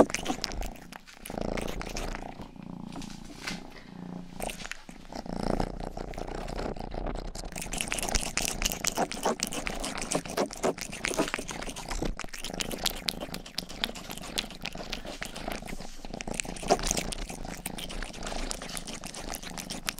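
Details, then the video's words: Youngest house cat Rangi purring during close-up ear licking; a low throbbing purr holds steady while rapid licking and crinkly contact noises fill most of the recording, quieter in the first seconds. "ASMR 하는 고양이!(Purring & ear licking sound)"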